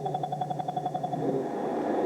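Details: A blue whale's A call, the first part of its two-part call, a rapid series of pulses picked up by deep-ocean SOSUS listening devices, played back sped up so the deep sound can be heard.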